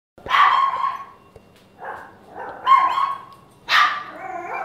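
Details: Chesster, a pet Papillon dog that barks at everything, gives three sharp, high-pitched barks about a second apart. Each one is a bright yelp with a short trailing whine.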